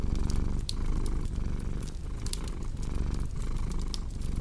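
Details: Deep rumbling purr from a cat, throbbing in short breath cycles, with crisp fireplace crackles and occasional louder pops above it.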